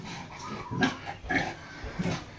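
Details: Pregnant sow, 60 days into pregnancy, with an apparently injured leg, giving three short low grunts spaced about half a second apart, each a brief broadband burst, over faint background hiss.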